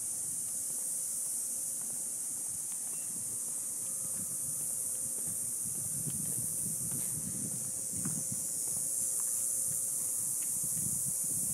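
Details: Cicadas in an Ocotillo tree on a hot summer evening just after sunset. A loud continuous shrill buzz holds evenly throughout, with faint low rumbling and rustling beneath.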